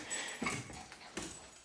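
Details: A female Lhasa Apso in a window gives a few sharp, yappy barks, spaced out, guarding the house.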